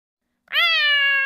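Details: A house cat dressed in a rabbit hat meows once, a bright, clear note that rises briefly at the start and then holds level for almost a second, with no other sounds around it.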